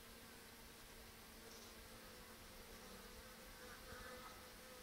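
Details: Western honey bees droning in a steady, low hum of many blended wingbeats at a hive's mouse excluder with a restricted entrance on 14 October; the colony is still producing brood, and foragers bring in bright yellow ivy pollen.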